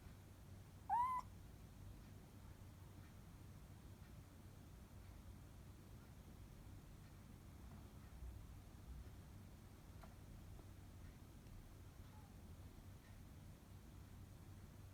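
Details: Orange tabby kitten in litter-box training, meowing while straining to defecate in its litter box indoors; one short, rising-then-falling meow near the start, followed by near silence with a few faint rustles.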